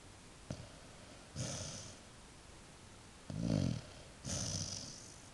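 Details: A dog snoring softly as it drifts off to sleep: breathy, rough snores swelling and fading, three main breaths about a second apart, the strongest near the middle, with a faint click early on and no other clear sounds.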